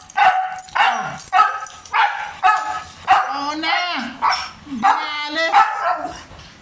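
A Siberian Husky gives a run of wavering, yodel-like moans and yips, rising and falling in pitch.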